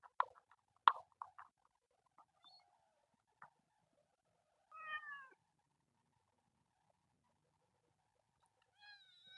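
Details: A kitten belonging to a colony of temple cats in nature gives a falling, quavering meow midway, with a fainter cry at the end, preceded by clicks and scuffling taps.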